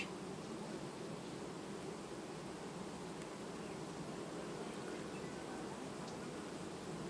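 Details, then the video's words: Many honey bees of a colony quietly changing its queen in August 2019 produce an unbroken, low, rough hum, steady in loudness over seven seconds, with a couple of faint ticks. "Matca schimb linistit 2019, familie ce asi schimba matca , albinele in august"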